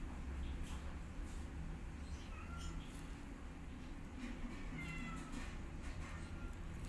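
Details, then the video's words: Kittens with their mother cat, being taught to walk, meow loudly: several thin, high, short cries, some rising and falling, scattered over a steady low rumble of background noise. "Mom Cat Teaching Her Kittens How To Walk And They're Meowing Loudly"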